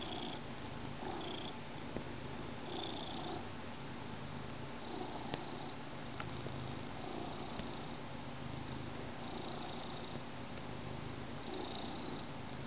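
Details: Curled up with his blanket during morning coffee, pet cat Finnegan purrs steadily indoors; the deep rumble strengthens and eases in slow breaths about every two seconds, joined by a few light ticks and a faint constant electrical tone.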